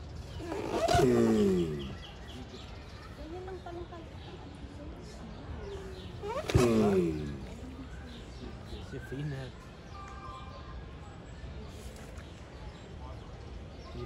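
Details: Mating giant tortoises give two loud, harmonic groans about five seconds apart, each falling in pitch, with quieter grunts and low background noise in between.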